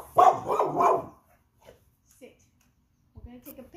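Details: Female Pit Bull indoors, vocalizing in protest because she does not want to pose for pictures and wants to play with her frisbee: one drawn-out, grumbling, howl-like moan lasting about a second, followed by quiet and a woman's voice giving commands.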